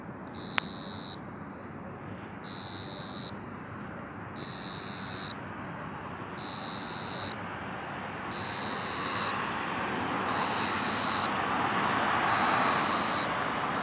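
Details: Banded ground cricket (Dianemobius fascipes), a small 6–9 mm cricket that chirps loudly for its size, audible tens of metres away, gives high, buzzy trilled bursts about a second long, repeating every two seconds.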